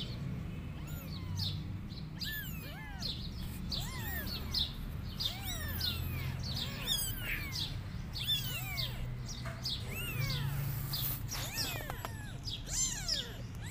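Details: Kittens meowing and crying as they call their mother cat, who runs away from them; many short, high, arched mews overlap in quick succession from several callers over a steady low rumble.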